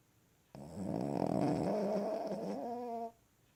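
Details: Sleeping Cavalier King Charles Spaniel lying on a lap indoors: a rough, rattling snore lasting about two and a half seconds, buzzy with a fluttering texture, ending in a smoother tonal tail.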